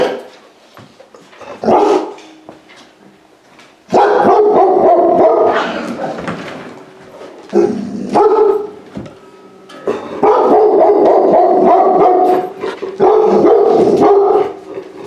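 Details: Large-breed puppy rescued from a high-kill shelter, entering a home for the first time; loud drawn-out whining, howl-like cries in bursts of one to three seconds separated by quieter pauses.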